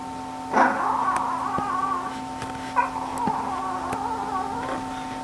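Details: Shih Tzu dog giving two sharp, high yelping whimpers about two seconds apart, each trailing into a drawn-out, wavering whine, with a steady electrical hum underneath and a few faint clicks.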